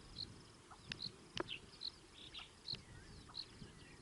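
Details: A squirrel moving around on a microphone gives brief, high-pitched chirps, repeated about every half second to second, with a few sharp knocks or taps between them.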